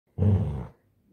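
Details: Labrador Retriever puppy Harvey growls during a tug game over a blanket: one short, low, rough rumble of about half a second that fades out, followed by near silence.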